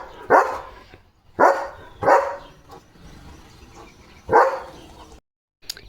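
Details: Leo, a pet German Shepherd playing with and chewing a new pipe toy, barks four times in an uneven run of abrupt, punchy woofs, with short pauses between them and a faint low background hum.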